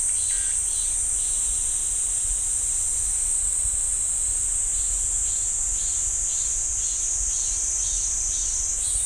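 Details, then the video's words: Steady shrill cicada song from a pine grove at Ssanggyesa temple in Jirisan National Park, a constant high buzz with faint regular pulses about four per second, low rumble beneath. "지리산 쌍계사 소나무 숲 매미 소리"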